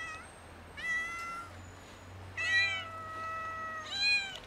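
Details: Hungry domestic cats, a kitten among two cats, meow loudly for food; three drawn-out meows, one long level call lasting over a second, with a steady low hum underneath.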